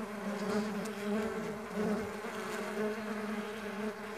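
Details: Buzzing of many stingless bees on a bee farm: an even, low humming drone with layered overtones that swells and eases in gentle pulses, no other clear sounds.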